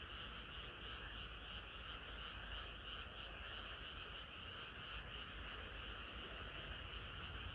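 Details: Chorus of frogs on a hot summer night: a thick, unbroken wall of overlapping croaks and trills from many animals, steady in loudness throughout, over a low background rumble.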